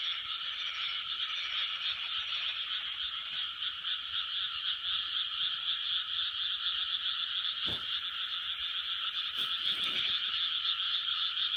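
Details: Frogs calling en masse in a 2020 chorus, an unbroken buzzing drone of overlapping croaks, with a couple of brief sharp knocks near the end.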